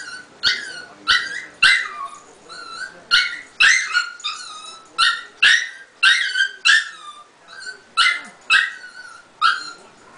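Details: Lulu, a two-year-old Chihuahua bitch, crying on waking because she could not find her owner in the guest room; loud, high, whining yelps, some bending upward, others dropping, repeated about every second in a steady, insistent series.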